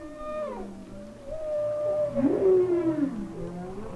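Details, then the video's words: Humpback whale song recorded underwater by hydrophone off Hawaii in winter: long sustained tonal moans gliding between low and mid pitch, with overlapping harmonics and a louder swelling wavering note in the middle. "They are the songs of one of the largest animals on earth and to me one of the most exciting."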